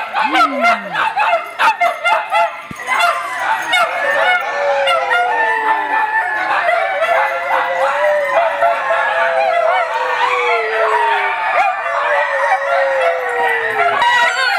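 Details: Several Italian Greyhounds at a rescue group's playdate in a Denver, Colorado kennel, January 2014, raising a dense, overlapping chorus of high yips, barks and drawn-out falling howls, with continuous background din.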